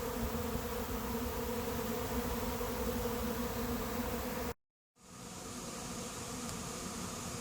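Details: Honey bee swarm entering an empty hive late in the season; dense steady buzzing hum, cut by a short break of silence partway, then resuming slightly softer.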